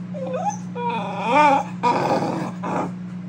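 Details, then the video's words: Keeshond throwing a temper tantrum indoors: wavering whines and yowls rising and falling in pitch, then rougher growly grumbles in two bursts, over a steady low electrical hum. "Keeshond having a temper tantrum!"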